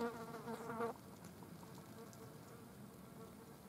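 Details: Green bottle fly on a dead mouse, a single loud harmonic buzz lasting under a second, then only faint background hum.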